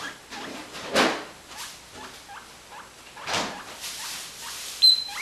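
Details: Guinea pigs Cannoli and Pinniped wheeking to ask for food: short rising squeaks repeated every half second or so, with louder rustling bursts and a brief high whistle near the end.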